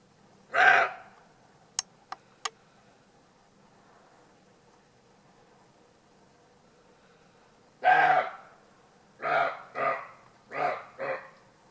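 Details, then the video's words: Roe deer filmed in Alsace barking: a single hoarse, explosive bark, then after a long pause another, followed by a quick series of four rough barks in pairs, with a few sharp clicks early on. "Aboiement du chevreuil"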